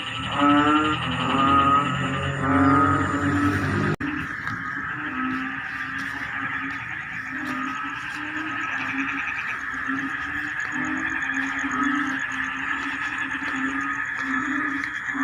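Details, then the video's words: Rice-field frogs at the start of the rainy season: a few pulsed, throaty croak bursts open, then a sudden cut gives way to a steady, dense droning chorus of many frogs with faint clicks. "SUARA KODOK DI SAWAH SAAT MUSIM HUJAN TIBA"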